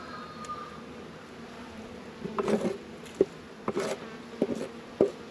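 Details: Honey bees humming at an apiary in northern Kentucky on a 72-degree February day while hive work goes on; a steady low drone with sharp knocks and clatters of equipment scattered through the second half.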